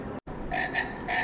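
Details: Small frog calling from below inside the Museum of the Middle Appalachians in Saltville: three short, bright tonal notes in quick succession after a brief silence, over a constant indoor background hum.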